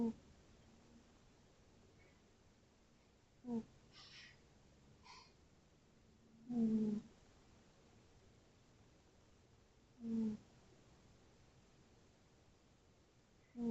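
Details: Sleeping tabby cat snoring softly indoors, short low breathy snores recurring about every three to four seconds with near silence between them.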